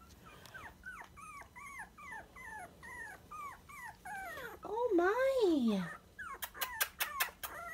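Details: Sandstone Dachshund puppies, 23 days old and just over a pound each, give rapid, high whimpering squeaks, then one longer falling whine.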